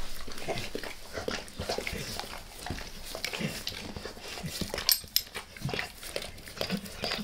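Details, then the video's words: Indoors, a dog licks a person's face up close: sticky, wet smacks and slurping clicks arrive in uneven clusters, with a few sharper peaks near the end. "ASMR DOG LICKING"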